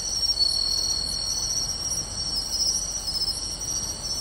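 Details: Many insects, including pine crickets and bell crickets, in a grassy field by the beach in Tainai, Japan, on an August 2020 night: overlapping high, steady trills with bright ringing notes recurring about every half second.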